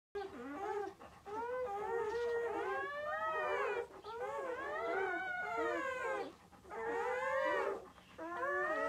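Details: Long-coated black German Shepherd setting, a mother giving birth to six puppies: wavering, tonal howls rise and fall in arching bursts of two to three seconds, separated by brief pauses, with several voices seeming to overlap.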